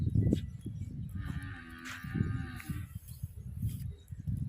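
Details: Nili-Ravi buffalo on a farm in Punjab, Pakistan, offered for sale; a low drawn-out moo with a steady harmonic band around the middle, over rustling and handling noise near the animals.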